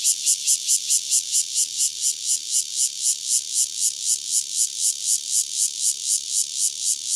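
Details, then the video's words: A lone cicada, Cryptotympana takasagona, recorded near Dona village in KaoHsiung County, gives a shrill, rasping song of evenly spaced pulses, roughly three to four per second, keeping a steady, loud throb throughout. "5- Cicada Cryptotympana takasagona, single, near Dona village, KaoHsiung County"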